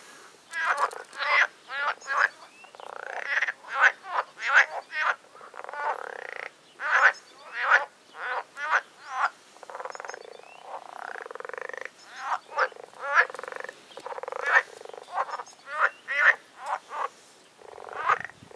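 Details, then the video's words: Noisy spring frog chorus from a pond on a nature trail at Agios Demetrianos, Cyprus, in mating season: dense overlapping bursts of harsh, rattling croaks, some pulsed and rising, repeated almost continuously by several callers. "Frog chorus on nature trail in Agios Demetrianos in Cyprus"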